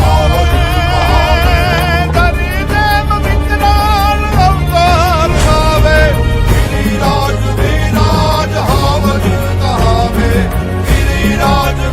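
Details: Loud music with a singing voice and dense instrumental backing plays throughout, with no animal sound.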